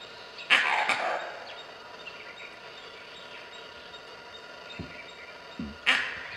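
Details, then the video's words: Gray langur alarm call warning of leopards in Nagarahole Tiger Reserve: a loud, harsh doubled bark near the start and another sharp bark about five seconds later, over a steady forest background with faint bird chirps. "Leopards getting irritated by the Langoor Monkey call"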